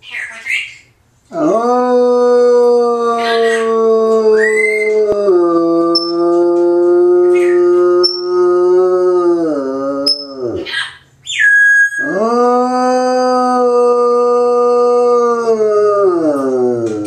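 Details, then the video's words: A pet Bloodhound howling at home while its owner is away: long, steady, mournful howls of about four seconds each, held on a low even pitch and dipping at the end, separated by brief breaths and small squeaky whines. "Bloodhound Howling"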